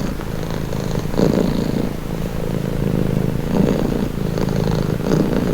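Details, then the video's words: Cat purring softly, a low buzzing hum whose intensity pulses in slower waves around every one to one and a half seconds, slightly quieter and smoother than a loud purr. "Purring cat"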